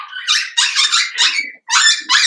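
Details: Cavalier King Charles Spaniel puppies, Daisy's six merged with Robin's two pups indoors, letting out shrill, high yelping barks in rapid overlapping bursts with a brief pause before more yips.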